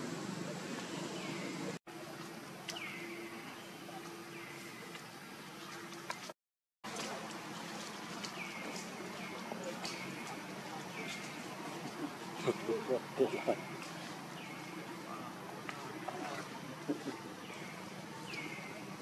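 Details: Baby monkey Luno keeps calling his father Tum to carry him. High, downward-sliding whimpers repeat many times at an even pace, with brief breaks in the sound, a low steady hum and some clicks and splashes.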